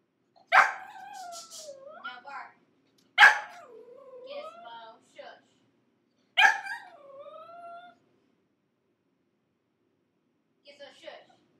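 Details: Gizmo, a pug puppy six months old, screams after five minutes shut in a crate: three loud yelps, each sliding into a long quavering whine, then quiet whimpering near the end.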